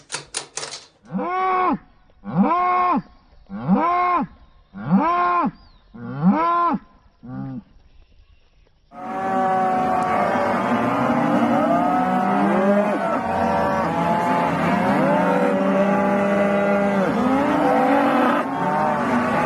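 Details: Farm cow sounds: a run of five short, evenly spaced moos with arched pitch, then a dense overlapping chorus of many cows lowing and mooing continuously.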